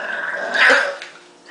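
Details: Marshall, a pet dog, makes a brief rough grumbling growl that swells and fades within a second, answering a woman who asks if he is mad at mommy.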